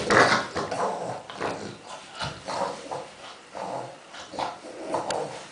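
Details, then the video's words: Indoors with a pile of tennis balls, Kuba the dog gives rhythmic snuffling grunts, almost pig-like, each short huff repeated about twice a second, with a brief whimpery squeak at the start and faint rustling. "Kuba in heaven of tennis balls making funny sounds"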